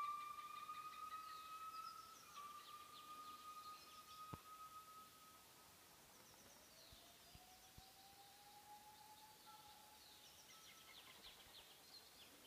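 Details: At dawn in Bokeo park, Laos, gibbons sing long, pure whistled notes and slow rising glides over a quiet forest background.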